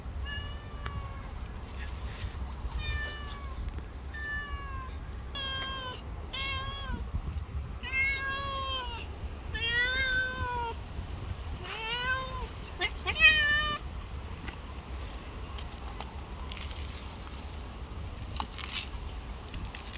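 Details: Green-eyed black cat living on the street meows repeatedly, roughly one call every second, mostly short arched cries with a few longer ones, steady low traffic-like rumble beneath and a sharp knock near the end.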